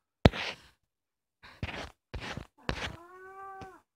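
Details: Kkomaengi, a young orange female house cat about two years old, recorded at home at night; several thumps and rustling bursts come first, then a short, clean meow that falls slightly at the end.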